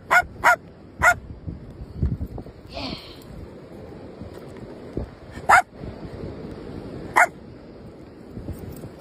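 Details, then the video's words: A German shepherd and a little dog playing: a few sharp, short barks, three in quick succession in the first second, then two more spaced several seconds apart, over low rumbling background noise. "german shepherd little dog are playing"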